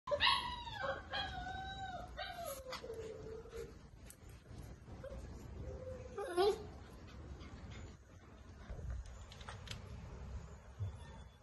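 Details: Six-week-old Great Dane puppies give high, wavering whines and yips that slide downward in pitch.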